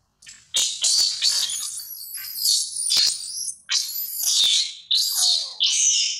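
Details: Infant monkey Mila cries loudly while her mother Malika warns and weans her: a run of shrill, high screeching wails, some bursts rising and falling, repeated in short surges with brief gaps, and no other clear sounds.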